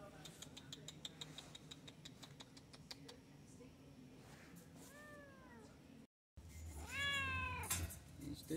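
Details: A deaf white adoptable domestic cat, friendly and fond of brushing, meows twice: a brief descending mew midway and a louder, longer arched meow near the end, after rapid ticking sounds; a man speaks softly indoors.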